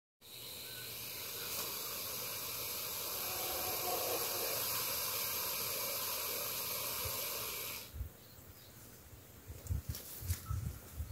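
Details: Cranky boa constrictor in the Belize jungle giving one long, steady, breathy hiss lasting about seven and a half seconds, then falling quiet, followed by soft rustling and a few low thumps.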